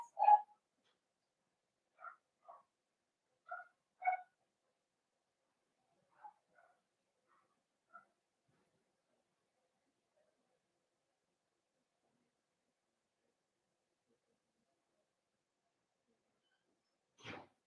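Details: Cavalier King Charles Spaniel puppies in their home puppy pen on 12/13/22, meeting several bigger household dogs for socialization. Soft, short tonal whimpers and yips come in a loose series over eight seconds, then a long quiet stretch ending in one sharp click.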